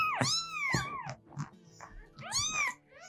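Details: An adult domestic cat gives two clear, rising-then-falling meows; adult cats meow almost only to people, asking for attention or food.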